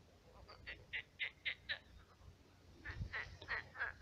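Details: Night chorus of frogs in a swamp that was once a pond: two quick runs of loud, rasping croaks, about four per second, separated by a brief lull, with faint rumbling beneath.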